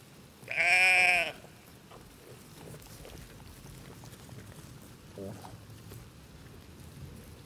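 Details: {'text': 'A single loud, trembling baa from a farm sheep, followed by several seconds of quiet rustling background with a soft distant sound.'}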